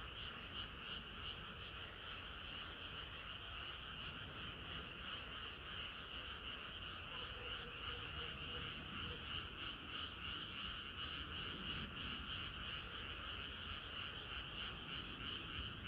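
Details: Summer-night frog chorus: many frogs croaking together in a continuous, rapidly pulsing layer, about three pulses a second, a bright high band over a low rumble, steady throughout.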